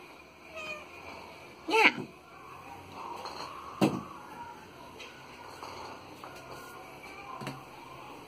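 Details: A frightened black kitten of about 2.5–3 months (1.5 kg), just rescued from among garbage bags in central São Bernardo do Campo, gives a few high, thin distress meows a couple of seconds apart over faint rustling.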